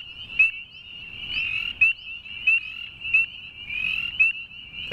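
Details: Chorus of northern spring peepers with a calling male: short piercing rising peeps repeated about every 0.7 seconds, overlapping continuous high trilling from many other peepers, a dense shrill wall of sound.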